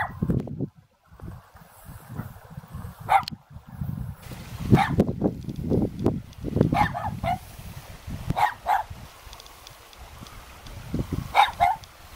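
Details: Two young dogs standing guard at a house in the mountains near Jeonju, North Jeolla Province, Korea; bursts of irregular barks and yips, some sharp and high, others lower, with gaps between runs.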